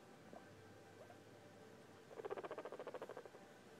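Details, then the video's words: Guinea pig giving a rapid series of short, buzzy pulses, about a dozen in just over a second, after a quiet start with a few faint soft sounds. "What does this guinea pig sound mean?"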